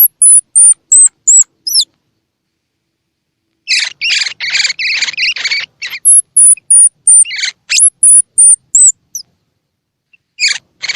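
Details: A baby squirrel's calls, used to prompt young squirrels to eat: strings of thin, very high whistles open the recording, then a dense burst of harsh chirps, more whistle runs, and a last few chirps.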